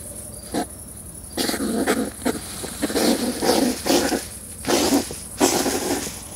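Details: Mating-season combat between European hedgehogs breeding in a garden wood stack: a quiet start, then bursts of harsh, growling snorts and puffs, coming in uneven rapid runs.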